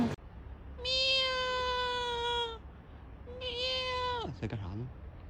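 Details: Domestic cat giving two long, steady, drawn-out meows with a clear, slightly falling tone, the second one ending in a short squeaky rising note, over a low background hum.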